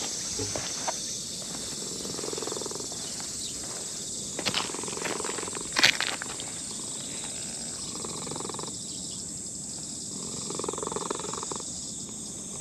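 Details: Brown-and-white elderly cat stroked by a human in a park, purring faintly in slow rhythmic swells. A few rustling touches break in midway, and insects buzz steadily behind.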